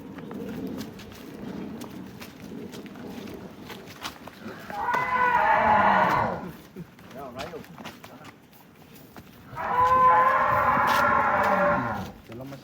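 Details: Giant cattle, cheerful as it leaves its pen after being sold, gives two long, loud moos about four seconds apart, each lasting around two seconds, with faint background voices and rustling between them.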